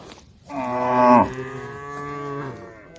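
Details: Tame female cows calling to an angry herd: one strong moo swelling to a peak and breaking off, then a long, steady, quieter lowing call that tapers away.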